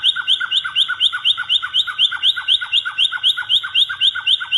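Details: Caged pet white-rumped shama of the blorok type from Indonesia in full, active song: a fast, steady run of sharp down-slurred whistled notes, about four per second, stacked in two pitches, with no other sounds.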